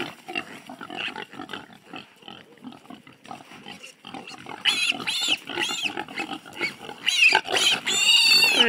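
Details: Wild boar piglet, one of 15 aged four to six weeks, at Soulshine Ranch, 100 Mile House, British Columbia, Canada, being removed from the pen for castration with sows nearby: loud, harsh, high squeals in rapid bursts building toward the end, with low grunting and human voices.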